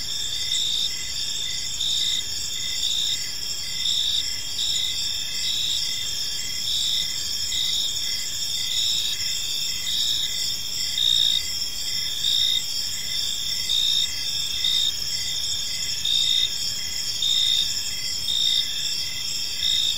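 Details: Crickets in a peaceful park at evening, many insects trilling together in a bright, high, rhythmically pulsing chorus that never pauses.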